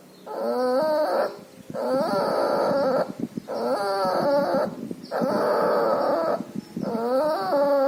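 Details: A distemper- and pneumonia-stricken puppy with a runny nose breathes noisily in five long, drawn-out squealing rasps, each lasting over a second, with rough crackly texture and a steady high-pitched background tone.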